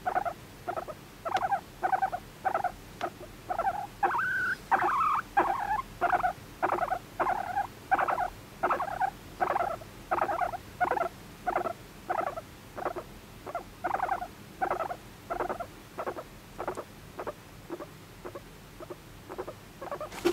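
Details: Sweet attention-seeking voice of the pet guinea pig Moru-chan: rhythmic chirping squeaks, roughly one and a half per second, with a brief higher whistled run early on and otherwise quiet indoor background.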